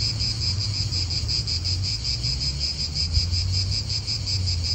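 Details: In an Italian park, cicadas fill the air with a constant, high-pitched pulsing buzz that never pauses, over a deep steady background rumble of wind.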